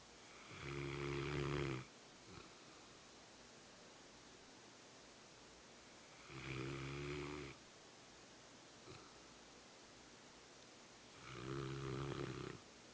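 A Rottweiler snores in slow, rasping breaths, one long rumbling snore roughly every five seconds.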